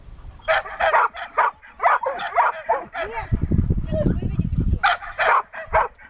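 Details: Siberian Husky in search and rescue training: rapid irregular barks and yips in clusters, with a man's low voice speaking briefly in the middle before the barking resumes.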